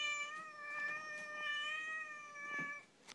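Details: Pet Siamese cat complaining indoors, perhaps hungry; a sustained level meow held for almost three seconds with bright harmonics, soft clicks and faint household noises behind, fading at the end.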